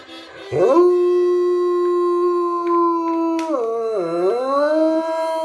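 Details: A Bloodhound named Ellie Mae, a female, howls along with a harmonica, a long steady tone that dips and swings back up.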